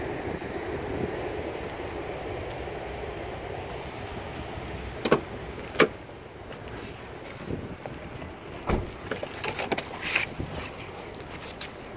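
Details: Inside a car at a rest area: low engine and road hum, an electric window motor, and scattered sharp clicks and door or key knocks, with no animal sounds.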